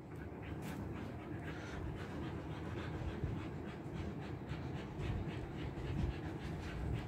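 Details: Siberian Husky with a summer body trim, coping with heat in Kolkata, India: steady, rhythmic panting, several short breaths per second, under a low rumbling background.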